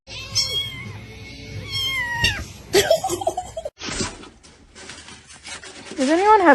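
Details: Cat meowing: drawn-out tonal meows with gliding pitch, two in succession, followed by a woman speaking and background music.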